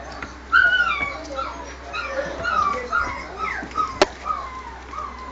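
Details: Three male Japanese Spitz dogs whimper in drawn-out, wavering high whines, several overlapping, with one sharp click partway through and quiet room noise behind.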